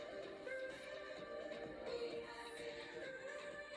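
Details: Quiet music with sustained tones and a sung melody plays, and no animal sound can be picked out.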